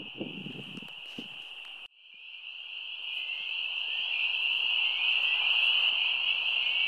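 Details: A dense chorus of spring peepers calls in full chorus at a spring wetland across a road, a steady wall of short, high, shrill peeps.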